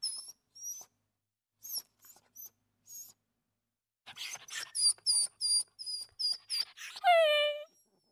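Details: Street dog with her mother: thin, very high whistling whimpers in short bursts, repeated rapidly, ending in a longer falling whine with rich harmonics, in a quiet setting.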